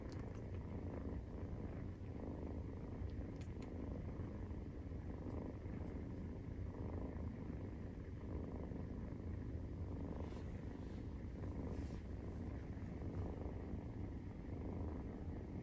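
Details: Low, steady purring from a Maine Coon kitten aged 43 days as it nurses, an even throbbing drone that carries on without pause, with a few faint clicks.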